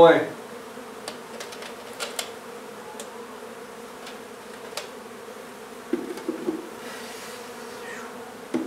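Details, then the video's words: Honey bees being removed from a nuisance hive in an old house in Donna, Texas: the massed colony gives a continuous low, droning hum that holds steady throughout, with scattered light taps and clicks of work nearby. "Honey Bee hive removal in old home in Donna, TX"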